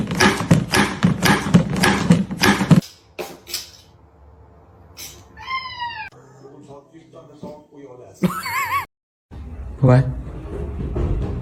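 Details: Kittens mewing: a few high, arched meows with rising-then-falling pitch, one wavering cry and a short later mew, after an opening burst of loud clattering and voices, with quiet gaps between.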